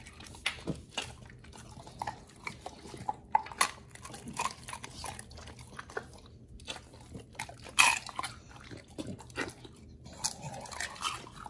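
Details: Dogs Oli and nomy on a raw prey-model diet eating raw meat indoors, wet crunching and biting clicks scattered irregularly with brief quiet gaps, a small room's hum beneath.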